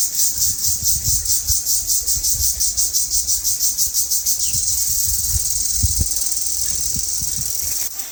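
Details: Crickets in a quiet village forest in the afternoon give a high, shrill buzz, pulsing at first and then steady like a running machine, with a few low thumps; the call is said to signal the weather and to rise with temperature.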